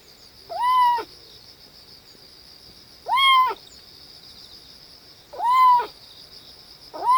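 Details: While pooping, a kitten gives strange cries: three clear arching mews roughly two and a half seconds apart, plus the start of a fourth, set against a steady shrill background hum.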